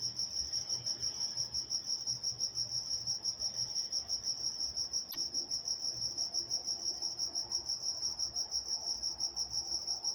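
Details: Night-time crickets in Walnut, California, chirping steadily in a high, pulsing trill of about three pulses per second, with a sharp brief click near the midpoint and a faint low hum beneath.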